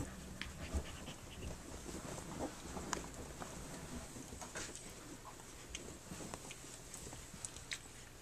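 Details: Flute's three-week-old puppies nursing and playing on their three-week birthday, soft breathy panting as a steady low rustle with faint scattered squeaks and small knocks, quiet indoor room.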